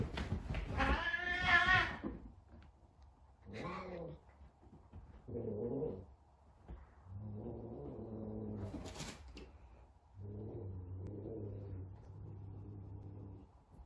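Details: Big F2 Savannah cat, frightened during a first encounter with a small kitten: a loud harsh wail opens, then low rumbling growls and moaning yowls come in uneven bursts over a steady indoor hum.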